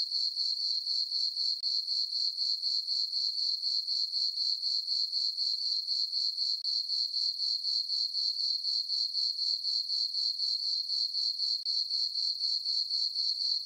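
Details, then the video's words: Crickets chirping on a peaceful summer night in a farm meadow under a full moon: a steady, high, ringing chirp pulsing about four times per second without pause, with no other sounds. "Cricket chirping sounds for sleeping"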